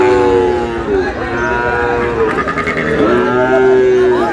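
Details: Lowing cattle at Ambari market in Dinajpur, Bangladesh, where Sahiwal bull calves are bought and sold on Monday 11 May. Several long, wavering moos overlap. People bargain nearby.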